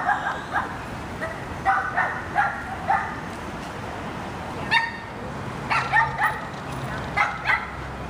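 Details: Golden Retriever in its first week of obedience training at a dog boot camp, giving short, sharp barks in irregular bursts of two or three, with quiet pauses between them over light background noise.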